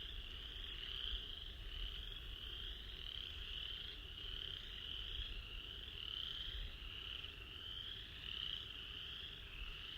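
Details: A dense spring chorus of chorus frogs, not far off in a flooded swamp, among the first days of singing after winter: overlapping rising trills like a thumb run along a comb's teeth.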